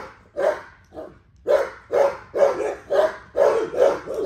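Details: XL American Bully at exercise: two spaced barks open, then a tight run of about seven loud, gruff barks that come faster, roughly every half second, mid-pitched with a rough edge.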